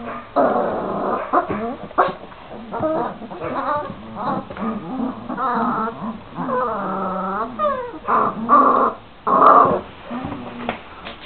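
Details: A litter of 26-day-old Šarplaninac pups fussing: drawn-out whimpers and short yelps, one long level whine, then two louder squealing cries near the end, all overlapping and irregular.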